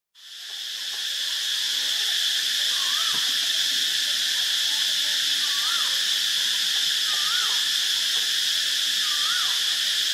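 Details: Cicadas in Ubon Ratchathani, Thailand: a dense, steady high-pitched buzzing drone runs without pause, with faint rising bird whistles repeating about every two seconds underneath.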